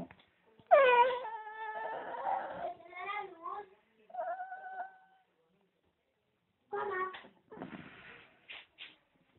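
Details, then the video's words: Fox terrier whining in drawn-out, wavering cries: an opening upward swoop into a sustained bending moan, a shorter level whine, then a pause before clipped, stuttering yelps and whimpers. "Fox terrier whining"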